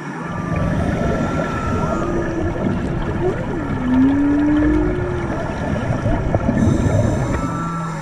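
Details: Humpback whale song heard underwater on a March dive off Maui: a long sweeping moan that dips and then rises, with fainter high whistles and low grunts under a steady hiss of water noise.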